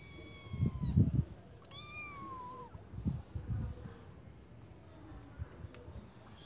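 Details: Kittens in a white bucket making two drawn-out descending meows close together, with low thumps and rustling knocks from handling or movement in the bucket.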